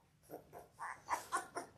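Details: Litter of six Labrador Retriever puppies, 17 days old, born January 18, 2022, on a live puppy cam. Short, high squeaky whimpers come in a quick run of five or six, about a quarter second apart, over a faint steady background.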